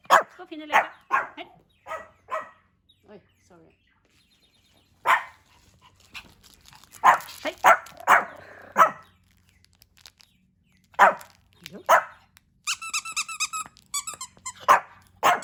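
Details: On his second birthday, male Pomeranian Hendo, born 20 August 2021, barks repeatedly in irregular bursts amid lively human chatter, with a stretch of tonal voice or music near the end.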